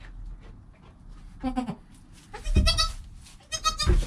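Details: Joel, a goat kid less than an hour old, with his mother Penny, filmed on a GoPro: a quick series of three nasal, quavering bleats roughly a second apart, with rustling and knocks underneath.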